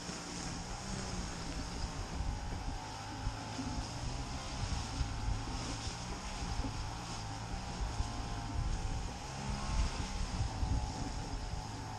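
Steady low engine drone, like a motorboat or propeller aircraft, with no animal calls heard.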